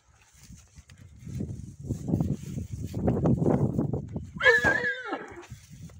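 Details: Stallion wanting to get acquainted with a new mare: low, rumbling nicker-like sounds build for about three seconds, then a short, loud, harmonic squeal falls in pitch before fading back to low rumbling.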